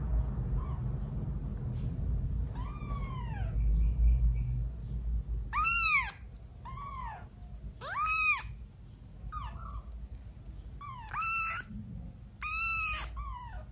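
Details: A 12-day-old kitten's first meowing: a series of high, thin, arched mews, some short and some drawn out, coming in clusters every couple of seconds over a low background rumble.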